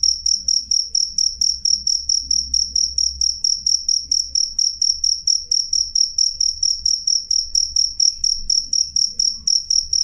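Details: Clear, loud chirping from a cricket: piercing high pulses repeat steadily about three times a second throughout, over a quiet low-pitched hum.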